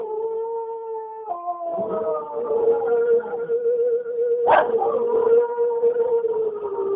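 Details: A pet Cocker Spaniel yodels along to her favourite Slim Whitman track, Indian Love Call, with a sustained, tuneful, mournful howl: steady mid pitch, a brief waver, then long drawn-out notes with a short yip midway.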